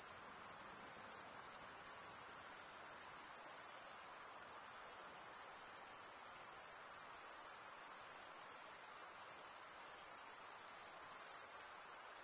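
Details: Crickets stridulating, males rubbing one wing's toothed vein against the other: a steady, very high, shrill trill that never breaks, with a faint regular pulsing and slight swells in loudness across the whole stretch, with no other sounds.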